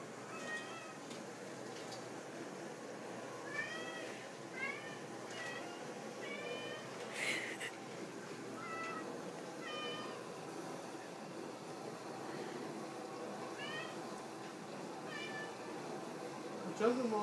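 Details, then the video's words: Walter, an overweight pet cat, meows for a treat after a boxer pup is rewarded for sitting. Short, rising-falling meows repeat at irregular intervals, roughly a dozen in all, over a steady low background hum, with a louder cry at the end. "Walter want a treat"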